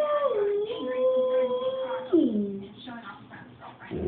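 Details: Chooch, a pet dog, singing: a long steady howl holding one pitch for about two seconds, then sliding downward into a lower fading tone, with faint voices underneath.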